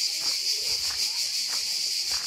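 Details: Insects buzzing loudly beside a path to a beach on Korčula Island, Croatia, in summer: an intense, unbroken high-pitched drone with faint pulsing, dominating the scene.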